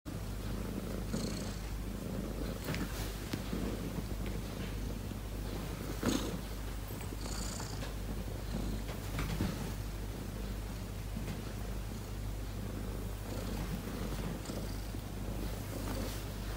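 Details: Domestic cat purring while being petted indoors, flopping over with every touch; a steady low continuous purr runs throughout, with a few soft rustles and brief clicks.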